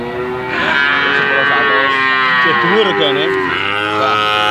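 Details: A calf makes a sustained, melodious lowing sound that wavers and quivers in pitch in the middle before settling into a steady tone.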